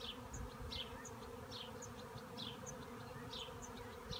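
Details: Bees swarming in a cherry tree make a continuous, even buzzing drone with no breaks. Brief high-pitched chirps keep popping up over the hum at irregular short intervals.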